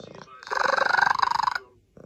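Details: Domestic cat making a weird sound: a drawn-out, harmonic, wavering yowl lasting about a second, pulsing rapidly like a trill, with soft background sounds before and after.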